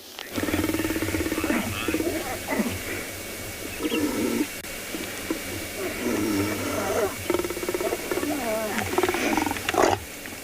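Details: Lions growling at a kill of a male impala in Tswalu Kalahari Game Reserve, South Africa, as a lioness that had been away rejoins the group, greeting growls after separation; deep rumbling growls in bursts, with a guide talking and vehicle hum.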